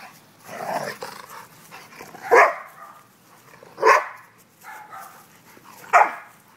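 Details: Domestic dog having fun, giving sharp, loud single barks about every one and a half seconds, with softer grumbling sounds between them.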